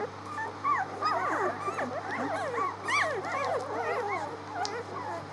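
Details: Litter of 6-day-old dog pups on 19 March, several whining at once: dense overlapping squeaky whimpers, arched and falling in pitch, nearly three a second, occasional sharper yips, over a faint constant low hum.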